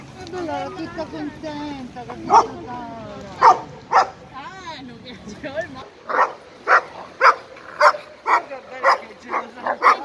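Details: An 11-month-old Irish Wolfhound plays with its best friend, an Italian Mastiff, at a dog park. Filipino speech fills the first half. Sharp barks then repeat about twice a second.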